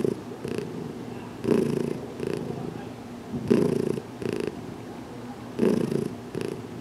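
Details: Purring of Heidi, a recently adopted cat still getting used to handling, during a head massage in a closet; a steady low rumble swells into louder bursts about every two seconds as she breathes.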